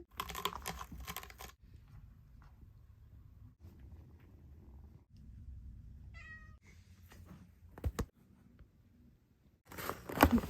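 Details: Stray mother cat that moved in to give birth, with her kittens in their first days. A low, steady rumbling purr runs through a series of short cuts, with brief high mews, rustling and handling noise indoors.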